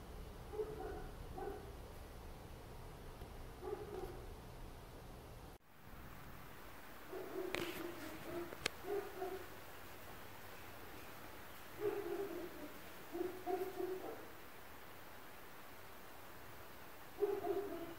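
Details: Distant barking from neighbouring dogs heard inside an apartment at four in the morning, ongoing for an hour: clusters of two or three muffled woofs, a pause, then renewed bursts, over a constant low background rumble.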